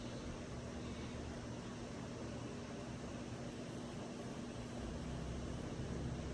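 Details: Steady broadband hiss and low rumble, like a fan, air conditioner or passing vehicle, runs unbroken throughout with no animal voice.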